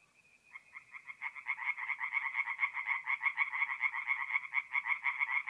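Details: Tree frogs singing at night at a forest pond in mid-April in north-east Italy; rapid pulsed croaks build from a single thin tone into a dense, steady chorus of overlapping callers.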